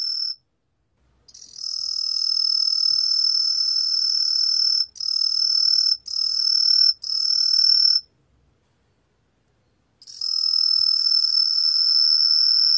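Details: Truljalia hibinonis cricket song: long, high, even trills broken by brief stops, with a two-second silence before the trill resumes steadily.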